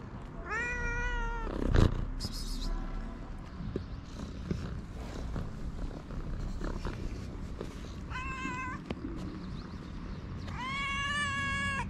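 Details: Two hungry stray cats in a Moroccan street; a meow, then a sharp bang, then two more meows, the last long and wavering, above constant low-pitched urban noise.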